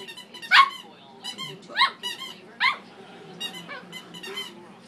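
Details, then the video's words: Domestic dog barking at a squeaky toy, giving loud yappy barks spaced roughly a second apart, with high squeaky tones between them and a faint background hum. "barking at his squeaky toy"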